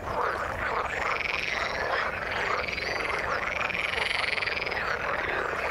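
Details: Frogs in the water keep up a thick, continuous croaking chorus, with looping pulsed calls swelling and fading in quick repeated waves over a constant background din.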